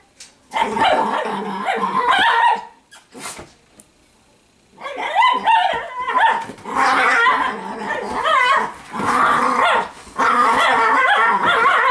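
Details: Several female Italian Greyhounds wrestling in play produce long throaty grumbles and yodel-like growls that waver in pitch, broken by a short quiet spell before the rough, continuous growling resumes.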